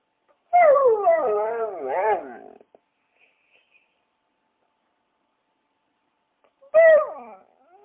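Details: A dog's drawn-out, undulating whine-howl of about two seconds rises and falls in pitch, followed by a long silence and a second, shorter falling howl.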